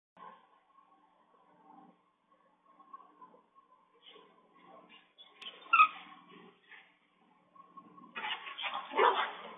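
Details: Chihuahua puppies playing together indoors, caught on a smart dog camera. Quiet patches with a faint steady tone give way to short, squeaky yips and scuffling, ending in a louder burst of excited, noisy play sounds.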